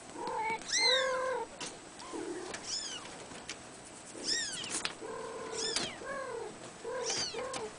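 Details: Blue male Abyssinian kitten at three weeks of age calling repeatedly. It gives short, high, wavering mews, often in quick pairs, roughly eight across the stretch, with faint background hiss.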